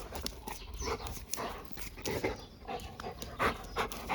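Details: Labrador Retriever relaxing and enjoying life in a quiet ASMR recording: soft, irregular breathy panting pulses, roughly one to two per second, with faint rustling and handling noises beneath.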